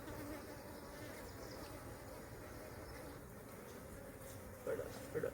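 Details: Honey bees of a hive wrecked by a falling tree, being handled as their comb is transferred: an even, low murmuring hum from many bees, with short snippets of a man's voice near the end.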